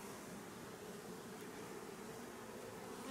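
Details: Steady hive hum from honey bee colonies being checked for activity before work begins on replacing drone-laying colonies; an even, low buzzing drone continues unbroken for three seconds.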